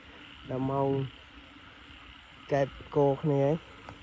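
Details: Frogs croaking in a flooded rice field at night after heavy rain, after ten o'clock, while people hunt them; a long nasal harmonic croak, a pause, then three quick croaks in a row against steady night-insect hum.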